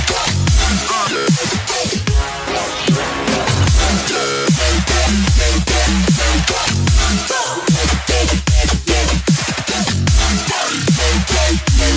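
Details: Loud electronic dubstep music with heavy pounding bass and dense synthesizer sounds throughout.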